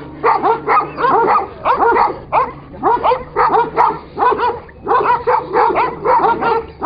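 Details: ['Kangal dogs clash: pulsing groups of harsh barks and growling yelps arrive in regular waves, with a faint low hum in the background.']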